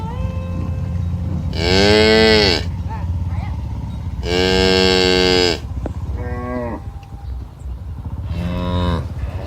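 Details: Cattle in a herd of dozens walking a village road to the pen one morning give long, full moos, two strong ones followed by shorter, quieter lowing, with a low rumble of hooves and ground noise beneath.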